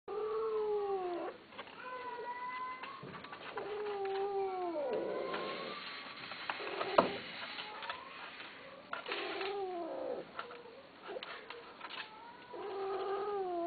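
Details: Persian (Himalayan) cats, a male and a female, caterwaul during mating, with long wavering yowls that rise and fall in pitch.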